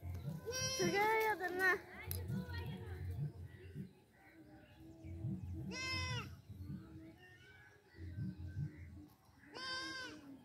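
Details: Young goats with a playing baby: three loud, rich, trembling bleats spaced about four to five seconds apart, with low murmuring voices between them.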